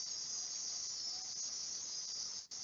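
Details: Crickets in a reconstructed rainforest soundscape built from documentary recordings: a constant high, shimmering insect drone with a brief dropout near the end.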